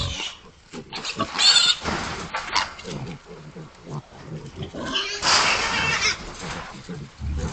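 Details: Nineteen hogs calling together, loud harsh squeals around one and a half and five seconds over a bed of overlapping grunts and snorts.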